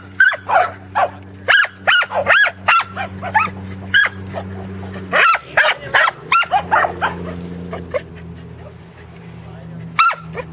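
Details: Teddy and Jack, corgis, herding sheep at Island Crossing Farm, Arlington, on 27 March 2011, their second try; sharp high barks repeat in quick runs, with a steady low hum underneath and a human voice at times.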